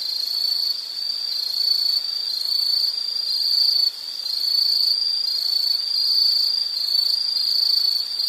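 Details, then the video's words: Insects chirring in a steady high-pitched trill that holds one band throughout, with slight swells and one brief dip in loudness near four seconds; no other clear sounds. "Sound · Nature Sound of nature sounds scenery L · insect"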